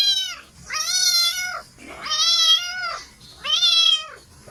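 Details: Cat giving three loud, bright meows about a second apart, each swelling then dropping in pitch at the end, with a quiet background.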